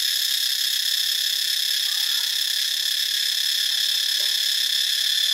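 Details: Cicadas in Ubon Ratchathani, Thailand, on 25 March 2022 fill the air with a continuous, shrill, high, hissy buzz that never pauses or changes in strength, like a dense electric whine with no rhythm.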